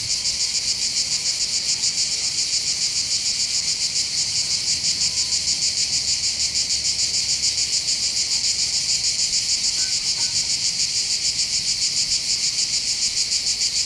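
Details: Chorus of cicadas heard from the high ground above Bandol port, Côte d'Azur, France: an unbroken, piercing metallic buzz with a fast steady throb of about three and a half pulses a second, loud and even across the whole stretch.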